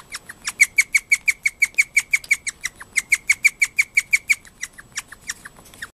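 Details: Moka, a pet guinea pig, excited in the middle of the night after a housemate guinea pig squealed shrilly, gives a rapid, alarm-like run of sharp high squeaks, about three per second, kept up steadily for six seconds in a quiet room.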